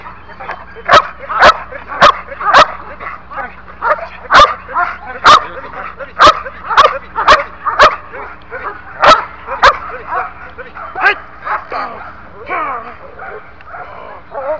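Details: A one-year-old male Belgian Malinois in protection training barks in sharp, loud bursts, roughly twice a second, with some pauses.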